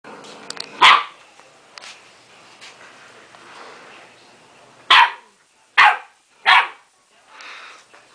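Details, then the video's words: Pet dog barking at its own reflection in a mirror, apparently believing it is another dog; one sharp bark early, then three quick loud barks about a second apart near the end, with faint household noise between. "baby barking at mirror"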